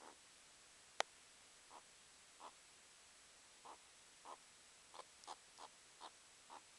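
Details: Pet meerkat kept indoors, watching birds outside and playfighting: a sharp click, then a run of brief soft calls spaced irregularly, quickening toward the end, against a quiet indoor background.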